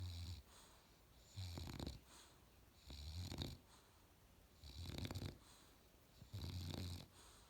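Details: Australian Bulldog puppy asleep, snoring in a steady rhythm: four low, rumbling breaths with a raspy upper edge, each lasting about half a second, spaced roughly one and a half seconds apart in a quiet room.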